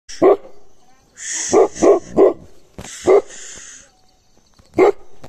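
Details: Gaddi dog barking while guarding: six loud, deep, sharp barks, several in a quick run of three, separated by pauses, with breathy hissing noise between some barks.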